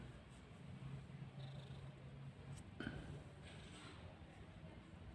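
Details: Pet village cat Kancil, a mother cat that has just given birth, purring in a low, steady hum through most of the recording, with a single soft click midway and quiet background hiss.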